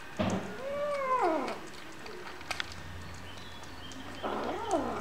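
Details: Hungry kittens meowing: one long meow that rises and then falls, a quiet pause with a low steady hum and a few clicks, then another wavering meow near the end.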